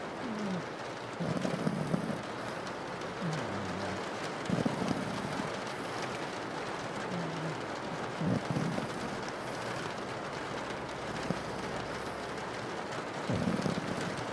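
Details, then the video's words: Sleeping pug snoring under persistent rain on a window: low, rumbling snores repeat every one to three seconds, some drawn out, over a steady hiss of rainfall. "rain on your window while a pug is snoring"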